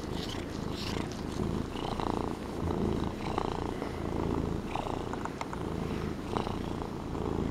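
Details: Fluffy Norwegian Forest Cat kept as a pet, purring contentedly indoors; a constant low vibrating drone with slightly uneven breath pulses and faint small clicks.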